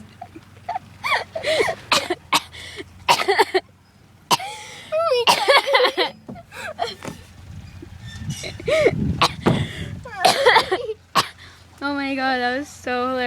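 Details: A goat screams while a dog chases it as it runs, giving loud, harsh screaming bleats that end in a long wavering cry, with people talking nearby.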